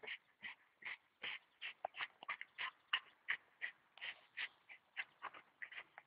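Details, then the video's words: Staffordshire bull terrier in action, excited run of quick high-pitched yips and whines, close to three per second, uneven in spacing and strength. "staffordshire bull terrier Buba in aktion"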